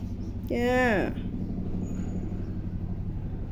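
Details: Hungry pet cat named Meow gives one drawn-out, harmonic meow that bends slightly down in pitch and lasts about half a second, over a steady low engine rumble, with a person's voice before and after.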